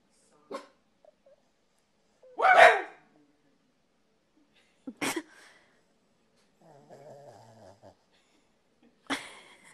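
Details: Corgi, described as funny and confused, giving a few short, sharp bursts spread across the recording, with one louder bark near the middle and faint whining in between.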